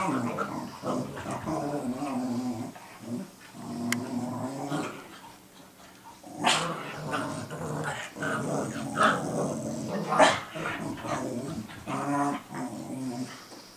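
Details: Two dogs growling and barking at each other, one said to be teaching the other to be a guard dog, recorded 12 June 2014; rough low growls with sharp bark bursts, some human voices.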